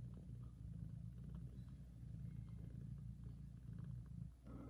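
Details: Low, rumbling purr from a mother cat caring for and feeding her kittens, steady and loud with rhythmic breath pulses, then a short pause and a soft rustle at the end.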